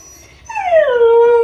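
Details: Kai Ken Ichi howling while left alone at home, lonely and calling for family: a single clear howl that rises in sharply, then slides down and settles into a steady held tone.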